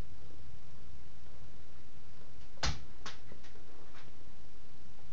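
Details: Quiet indoor room with a sharp knock followed by a few fainter taps, like a dish or object being struck; no animal voice heard.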